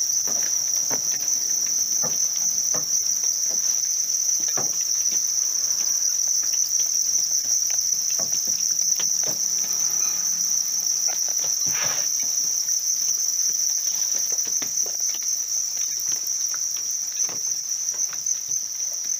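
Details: Farmed house crickets raised in captivity, their calling forming a steady, unbroken, high-pitched trilling drone throughout, over dry crackling and rustling noises.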